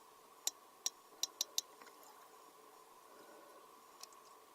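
Sperm whale clicking, a quick patterned run of five crisp, dry knocks followed after a pause by one more. These clicks serve for searching underwater and for communication, over a faint steady hum.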